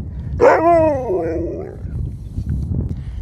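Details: Sherpa, a pet dog that keeps "talking" to his owners, lets out a single drawn-out, wavering howl-like vocalization lasting about a second, sliding slightly downward, followed by low background rumble and a person speaking.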